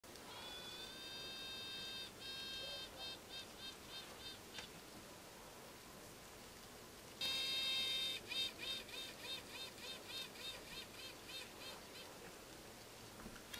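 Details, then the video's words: Newly bought honey bee queen piping inside her cage: a long steady high tone breaks into a string of short pulsed toots, then a second louder tone at about seven seconds trails off into more rapid, evenly spaced pulses. "Piping Queens"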